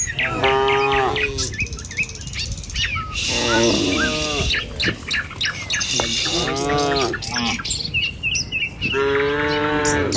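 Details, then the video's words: A herd of tame cattle follows a herder along a village road one morning, heading to a field to graze. About four rich, wavering moos roughly every three seconds, with bird chirps and twitters throughout. "Suara Sapi Moou Sepanjang Jalan Desa"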